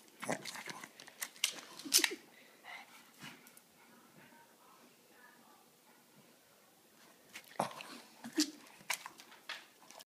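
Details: A Boston terrier walking for a bone snorts in quick, wheezy bursts, then goes quiet before snuffling again.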